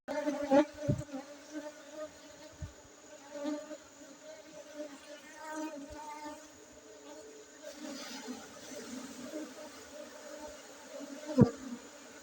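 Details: Honey bees in Aceh, giving a steady low droning buzz with stacked overtones that holds throughout, broken by a few sharp knocks and soft clicks.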